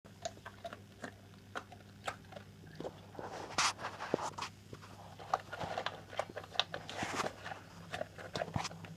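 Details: Argus, an English bull terrier crossed with a Rhodesian ridgeback, chomping noisily while eating his dinner: irregular crunching and clicking bites, sharp snaps unevenly spaced, over a steady low indoor hum.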